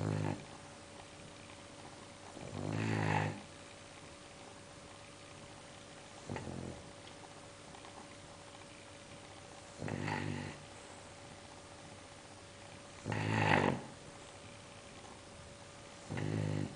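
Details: English bulldog snoring steadily, with loud, rough, rattling snores about every three to four seconds and a faint constant hum between breaths.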